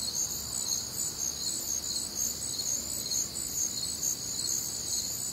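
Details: Nocturnal crickets recorded on a humid, warm Midwestern summer night: continuous high-pitched trilling chirps from many insects layered together, pulsing about twice a second over a soft low rumble.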